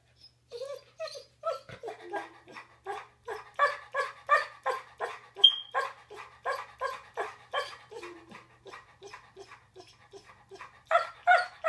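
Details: A yellow Labrador Retriever, after mixing up the bed, gives a long run of short, moaning whines, almost like grumbled talking, as if explaining himself.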